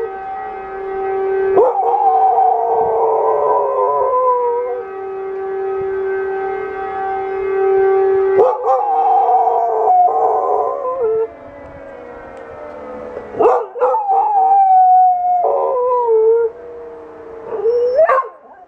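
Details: Family dog howling with the siren every time it rings. Long level howls are broken by pauses. Later come wobbling, sliding phrases and short yelping rises, ending in an upward whine.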